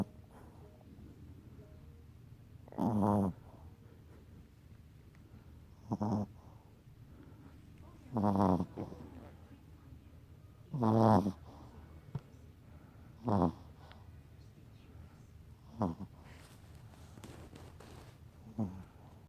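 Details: Sleeping pet Chihuahua snoring indoors: short noisy snorts repeated every two to three seconds, some louder and rattling, against quiet low background hum.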